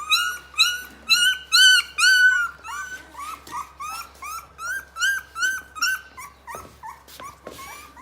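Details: Rottweiler puppies, 23 days old, calling indoors: a run of high whimpers and yips, each rising then falling, repeated about twice a second, loud at first and then softer, with several pups overlapping.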